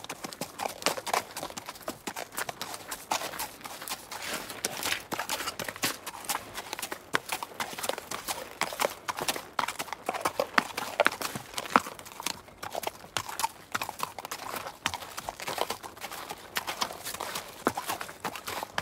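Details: Horse in the wild, trotting and grazing: a long, steady stream of crisp, closely spaced hoof clicks and thuds, uneven in rhythm, with no calls.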